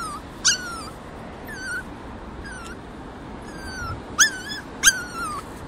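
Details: Puppies afraid of their first outdoor walk squeak again and again. Six or so short, high, falling whistles come at irregular intervals, two of them louder and sharper, over a soft constant background hiss.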